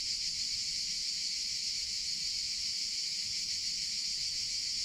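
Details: High, sizzling drone of cicadas in summer, continuous and level throughout without pause, with barely any sound in the low range.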